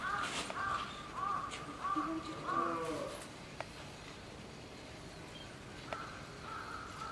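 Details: Common squirrel monkeys, a baby with its mother, at Tobu Zoo in Japan: a run of short, clear whistled chirps at a steady mid pitch, several in the first three seconds, then quieter with a few faint clicks and low murmuring behind.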